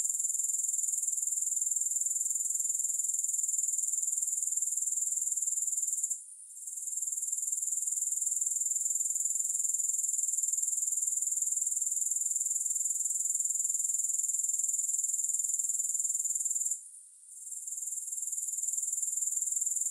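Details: A shrill, sustained grasshopper chorus with no music: steady high buzzing pulses at roughly four per second, broken by two short lulls about a third of the way in and near the end.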